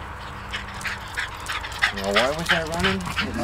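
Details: Twelve-year-old Wire Fox Terrier Diva says goodbye to party guests, upset they are leaving: rapid high yips at about three per second, followed by a long, quavering, sliding whine-howl with people talking nearby.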